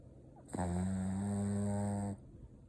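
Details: Sleeping Shih Tzu snoring: one steady, low, droning snore with a rich buzzy tone holds level for about a second and a half, then cuts off cleanly into near silence.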